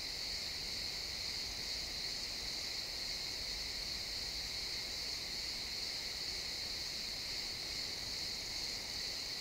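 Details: XY stereo recording of chirping crickets in a pine forest at sunset: a seamless, piercing high trill continues evenly from start to finish over a soft, airy woodland backdrop.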